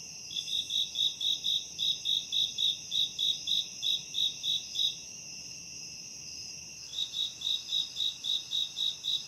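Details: Forest crickets at a campsite give evenly spaced, high pulsed chirps roughly four each second atop a steady ringing buzz; the chirps stop for a few seconds, then start again.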